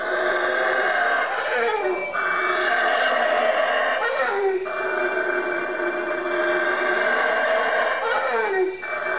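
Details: A roaring chorus of four howler monkeys at 3am in the Guatemalan jungle, close to a room three trees over. Continuous loud, raspy howls with brief dips roughly every two seconds as the calls restart.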